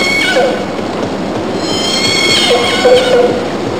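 An orca gives squealing, harmonic calls that rise and bend over a hiss of underwater noise.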